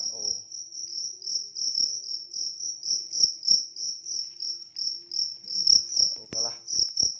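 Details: A large cricket chirps in fast, even high pulses throughout, with soft knocks and a brief voice-like sound near the start and end.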